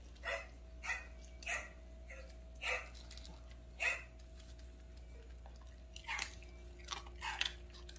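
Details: Ten-year-old Maltese Dubu, kept on prescription kidney diet for kidney stones, coaxed to eat at home with tiger masks beside the bowl; a handful of separate yappy barks spaced roughly a second apart, then a quick cluster near the end, under faint hum.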